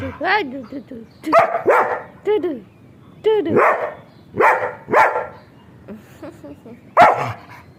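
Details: Playful pet German Shepherd Sheru mixes bending, yodel-like whines with rough barks, in about eight bursts spaced roughly a second apart, as a person talks to him in Gujarati between sounds.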